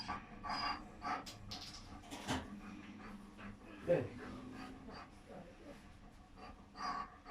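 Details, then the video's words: German Shepherd dog in labour while delivering seven puppies; irregular bursts of heavy panting breaths, with a short falling whimper midway, over soft indoor background and occasional human voices. "German Shepherd Dog Labour (7 Puppies Pregnancy Delivery)"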